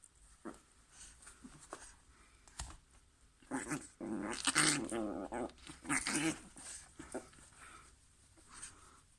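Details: Pet dog, female, at play inside a small room, giving rumbling, buzzy growls that swell in the middle of the clip and then fade to quieter grumbles, with scattered clicks and rustling.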